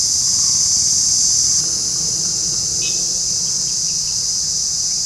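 An Indian cicada shrills without a break, a high, hissing buzz that eases slightly after the first second and a half.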